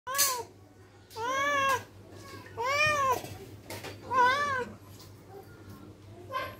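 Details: ['Angry domestic cat giving four loud drawn-out meows, each rising then falling, spaced about a second apart, with a steady low hum beneath and a brief spoken remark.']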